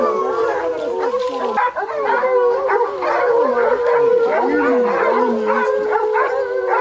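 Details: Pack of hounds hunting leopards in Zimbabwe, Africa, baying together: many overlapping drawn-out howls and wavering bays, loud and continuous throughout.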